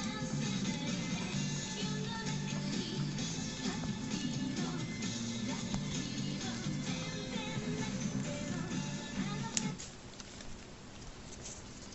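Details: Guitar-led rock music plays steadily until it cuts out abruptly near ten seconds, leaving quiet room noise, with no animal voice heard.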